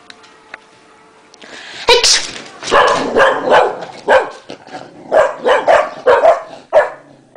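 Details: Two English Cocker Spaniels at home, Max barking at his owner after a sneeze while Gina tries to chase him off; a sneeze-like burst, then a run of sharp, rapid barks.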